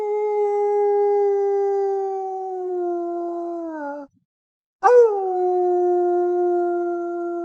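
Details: Wolf howling in a forest, a call for communication between pack members: two long, steady, tonal howls, the first sliding slightly lower before breaking off, then after a short silence a second starting with a rising swoop and holding level.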